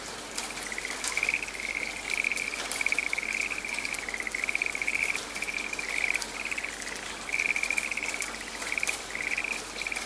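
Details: A frog calling in a quiet forest during rain: short, rattling trilled bursts repeated about every half second in a near-continuous chorus-like series, over steady hissing rainfall.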